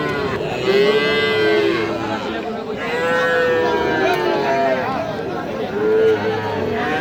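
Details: At the Aftabganj cattle haat on 6 August 2025, Sahiwal bull calves low repeatedly. Three long, level moos come roughly every two to three seconds over constant human chatter and price haggling.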